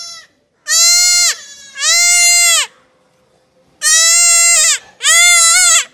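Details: Castrated goat kid letting out four harsh, sustained bleats in two pairs, each call steady in pitch and then dropping at the end, separated by a silent pause.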